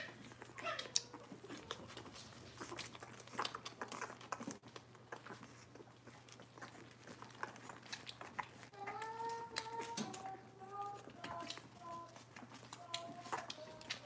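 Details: Robin's litter of Cavalier King Charles Spaniel puppies, indoors, giving thin, high whimpers and squeals in short sliding bursts, clustered in the second half. Clicks, scuffling and rustling from the moving puppies, over a steady low hum.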